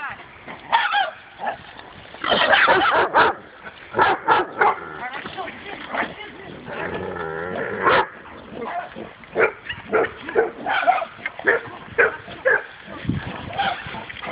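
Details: Dog confronting a wild boar for the first time, barking repeatedly in short sharp bursts. A drawn-out, wavering squeal-like cry comes midway. Voices and outdoor rustling run throughout.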